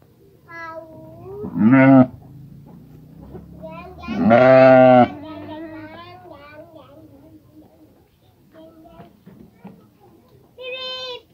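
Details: Sheep calling soon after giving birth to a female lamb, with a few loud, quavering bleats at about two and four seconds among quieter voices and human chatter throughout.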